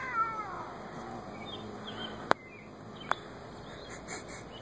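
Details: An angry Siamese cat, upset with a pet bunny, gives a falling, wailing yowl, then a low, drawn-out moan.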